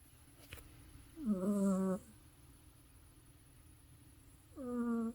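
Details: Teddy, a pet cat sleeping deeply, snores with two tonal, buzzy breaths, each under a second, separated by a quiet pause of about three seconds; faint steady room hum underneath.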